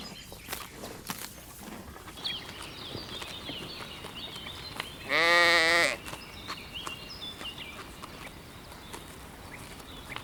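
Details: Sheep grazing on a spring meadow gives one loud, wavering bleat lasting under a second midway through, with birds chirping and twittering in the background throughout.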